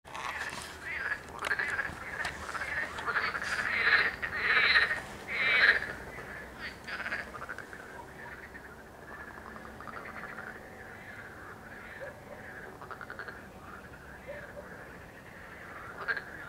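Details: Water frogs and marsh frogs croaking on 31 May 2021: a dense chorus of rattling, nasal croaks that swells to loud overlapping bursts in the first six seconds, then settles into a softer, steady background rattle.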